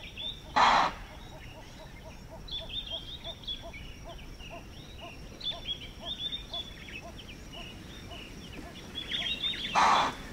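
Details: Impala in the African bush at Manyeleti Game Reserve, South Africa, giving loud, explosive alarm chuffs after detecting a predator. Two sharp, broadband snorts about nine seconds apart. Between them come soft, regularly pulsed calls and steady chirping birds.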